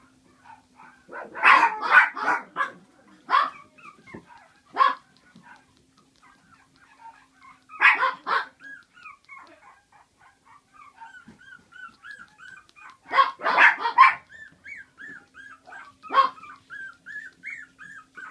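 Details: Papillon puppy filmed on 15 August, giving high, sharp yapping barks in quick clusters near the start, middle and later on, with thin, rising-and-falling whiny yips strung between the bursts in a quiet room.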